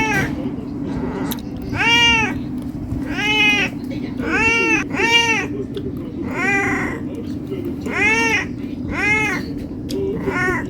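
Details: Domestic cat meowing insistently for food because it is hungry: about eight arched meows in a near-steady sequence, rising and falling in pitch, over a persistent low hum.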